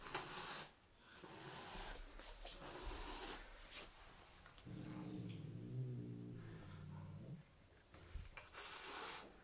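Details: Turkish Van cat being introduced to a new roommate: sharp breathy hisses in bursts, and a low sustained throaty growl in the middle lasting about three seconds, then more hissing.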